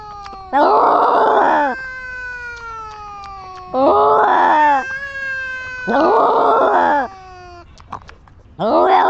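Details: Little Flower, a domestic cat, lets out four long, wavering caterwauling meows. Steady sustained tones fill the gaps between the calls.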